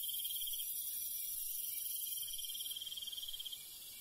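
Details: Crickets at night in rural countryside give a high, rapid chirping trill that carries on for about three and a half seconds and then stops, leaving only background insect hiss.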